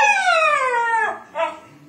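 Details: Siberian Husky puppy, four months old, talking back when told to come downstairs: a long sliding howl falling in pitch, then a short separate yelp-like note after a brief gap, with the owner's voice nearby.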